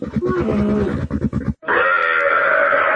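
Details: A camel gives a series of throaty pulsed grunts, then after a brief pause a loud, sustained, rough bellowing roar.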